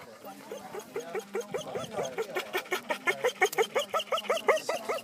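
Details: Dog excited at a party, eager to greet the people there, giving a rapid run of short, rising, whiny yelps about three per second that grow louder toward the end, over background chatter.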